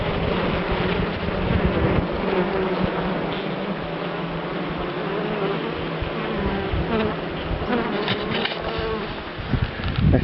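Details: European dark bees of a colony kept in a top-bar hive, seen during a short inspection of heavy comb on 21 September; a dense, steady humming buzz of many bees fills the clip, with soft music underneath.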